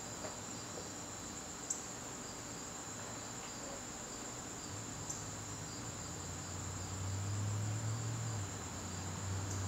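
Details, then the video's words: Crickets in a garden on a September evening: a steady, high, unbroken trill holds one pitch throughout, with a fainter lower overtone and a low background hum that swells near the end. "garden crickets"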